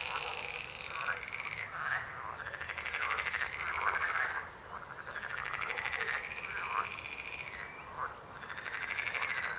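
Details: Frogs croaking in a dense chorus: rattling, pulsed croaks overlap almost without pause, swelling and easing in waves about every two seconds, with a brief dip in the middle before the calling picks up again.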